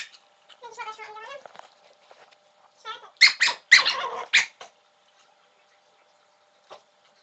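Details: Black cocker spaniel barking to beg for a beer can indoors: a drawn-out tonal whine, a short yelp, then four loud sharp barks in quick succession, followed by quiet and one faint click.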